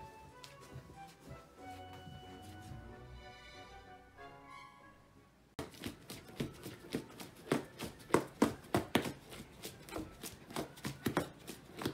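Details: Soft melodic music gives way to a rhythmic beat with sharp taps, and no animal sound.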